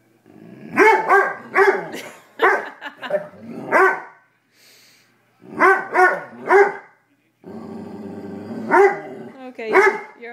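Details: Pet dog in a basement, frightened by a raw chicken foot given to him for the first time, growling and barking loudly; repeated sharp harmonic barks in bursts of two or three, with brief pauses and a short gap near mid-clip.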